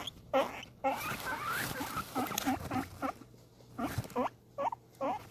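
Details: Guinea pig excited at being fed, giving short high rising squeals in irregular clusters, some overlapping a burst of rustling noise early on, then spaced whistled wheeks near the close.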